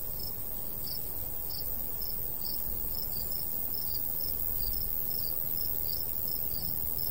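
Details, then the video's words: Rapid high chirping of crickets in golden summer wheat, pulses coming every fraction of a second, some doubled, beneath which a soft continuous breeze rumbles. "Countryside/cricket sounds"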